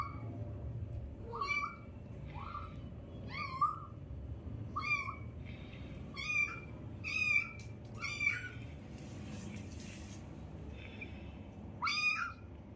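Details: Mother cat's newborn kittens, one of a litter of five, squeal in loud, piercing, wavering mews, bursts roughly every second with gaps, rising then falling in pitch above a low steady hum.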